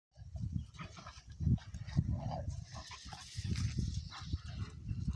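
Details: Two young Cane Corso Italiano dogs, a father and his offspring, play-fighting for a long while; deep rumbling growls pulse continuously in short throaty bursts, with scuffling and faint higher noises above.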